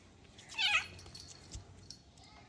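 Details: Black kitten, once unable to walk and now able to run fast, searching for his toy indoors, gives a single short high meow in a small room; a woman talks before and after.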